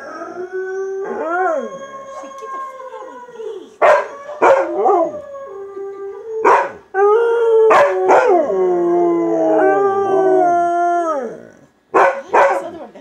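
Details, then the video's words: Howling session from Luna, a domestic chocolate Labrador: wavering drawn-out tones that rise and fall, some notes gliding down in pitch, punctuated by quick sharp yips between the howls. ""JUST-A-HOWLING" "Just Luna" Chocolate Lab"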